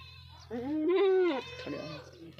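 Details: A Beetal goat lets out one loud, drawn-out bleat lasting about a second, rich in harmonics and slightly wavering in pitch, then a softer trailing sound under a steady low background hum.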